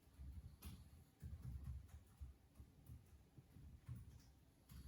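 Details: A pug fast asleep after a tiring day of fun, snoring with low, rumbling breaths that come in soft bursts about every half second, with a faint ticking in the background.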